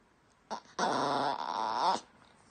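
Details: A miniature Yorkshire Terrier makes an odd noise when stroking stops: a brief yip, then a drawn-out, wavering whine with a grumbling edge.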